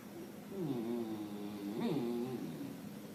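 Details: Dog producing odd talking noises: a continuous wavering, warbling moan that rises and falls for about three seconds, with a brief sharper squeak near the middle.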